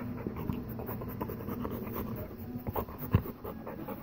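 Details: Golden Retriever mother and daughter indoors, heavy panting in loose rhythmic bursts with a low hum, a sharp thump near the end and faint handling noises.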